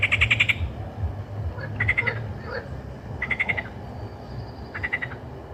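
A frog gives short, rapid pulsed croaks, repeated about every one and a half seconds.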